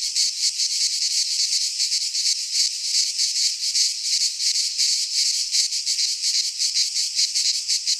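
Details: Cicada chorus in midsummer among the pines of Greece: an intense, high, hissing buzz pulsing steadily about two to three times a second without pause.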